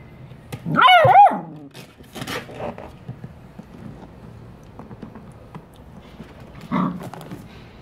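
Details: Three black Labrador Retriever foster puppies from the SD Humane Society playing at work; one high, yelping double bark with a wavering pitch near the start, then a shorter bark late on, with soft scuffling between.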